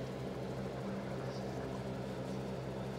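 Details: A steady low mechanical drone with even harmonic bands fills the recording, with no animal sound.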